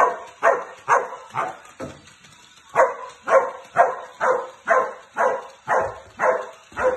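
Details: A lone Samoyed at play barks steadily, short punchy mid-pitched barks repeated about twice a second, with a brief pause near the two-second mark before the even rhythm resumes through to the end.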